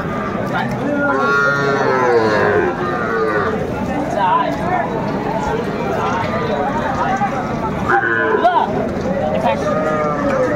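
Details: Young cattle, small bull calves and heifer calves, at a cattle market in Faridpur, Bangladesh, on 4 September 2024 where farmers are buying. Two drawn-out, harmonic moos at about one to three seconds and again near eight seconds, over steady crowd chatter and bargaining voices.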